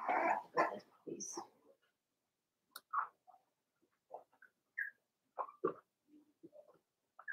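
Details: Daisy's Cavalier King Charles Spaniel puppies, four weeks old, in a puppy pen indoors. A rough, noisy scuffle opens, followed by scattered short squeaks and thin whimpers at irregular intervals.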